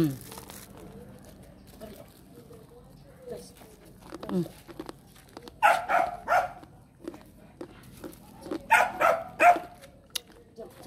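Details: Dogs at home in the Philippine provinces during a training session: a stretch of low talking, then two loud clusters of quick, harsh barks a few seconds apart.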